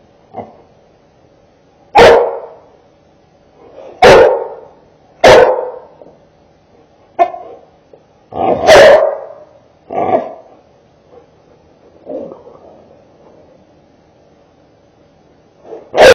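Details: Labrador Retriever barking on the command to speak: about eight loud, single barks, each short and punchy, spaced one to four seconds apart, with quiet gaps and faint low sounds between them.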